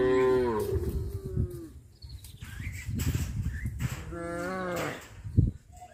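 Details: A herd of cows walking out to graze in a settlement gives long, deep moos one after another, with rich harmonic tones that sag and fade.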